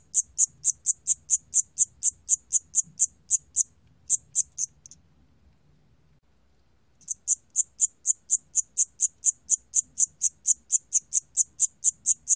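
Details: Siamese cricket calling in a steady series of short, high, bright chirps about two per second, pausing for roughly two seconds midway before resuming at the same pace; otherwise a quiet background.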